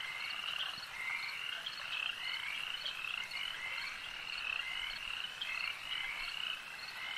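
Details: Lakeside frogs in full chorus, many voices giving quick, high, rattling croaks that merge into a continuous trilling wash, slightly louder swells around the middle.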